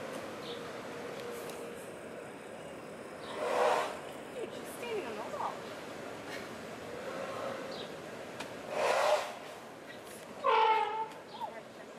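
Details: Distant voices and passing vehicle noise outdoors, with no clear animal call.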